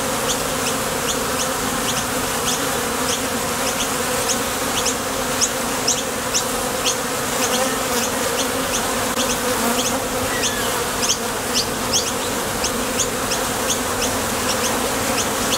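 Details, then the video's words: Honey bees at the entrance of a top bar hive, leaving and landing as they fly to and from the field for nectar; a dense, steady droning hum from many wings, with faint rapid high ticks repeating about twice a second. "Bees Sound Effects | WHITE NOISE | RUIDO BLANCO RELAJANTE Sonido de las Abejas"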